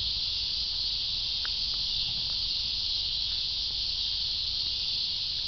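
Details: Steady shrill buzz of cicadas, an unbroken high hiss-like chorus filling the whole clip, with faint low rumble underneath.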